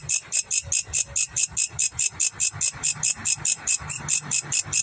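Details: Grasshopper calling in Indonesia with evenly spaced, shrill raspy bursts, about four per second, steady throughout.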